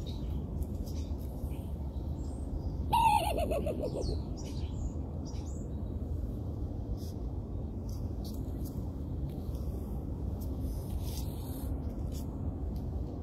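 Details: Raccoon giving one short, coarse bark that drops in pitch, heard over a steady low rumble with light scattered high chirps from birds.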